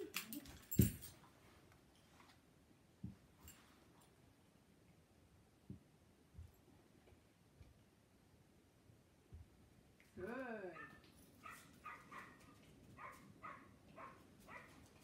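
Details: Dog barking indoors while dogs watch: a long quiet stretch with a few soft thumps, then a falling, whining bark followed by a quick run of short, sharp barks roughly every half second toward the end.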